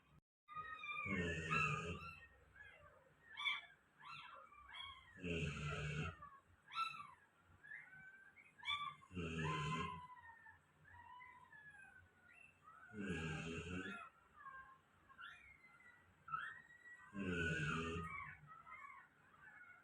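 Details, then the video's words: A pet golden retriever snoring: five broad, noisy breaths about every four seconds, each a rough low rumble with hissing upper tones, while faint chirping birdsong runs between them in the background. "my golden retriever snoring"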